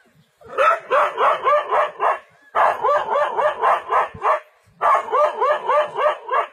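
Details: Dog standing its ground against a leopard in a forest, barking in rapid bursts of about seven sharp barks each, three volleys separated by short pauses.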